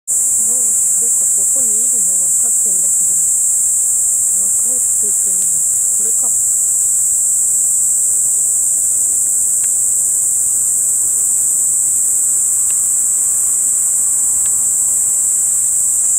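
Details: Kaempfer cicada filmed in Tokyo on 17 July 2021 with a CX430V camcorder: a steady, shrill, high-pitched buzz that runs unbroken through the whole stretch, with faint low voices in the first seconds.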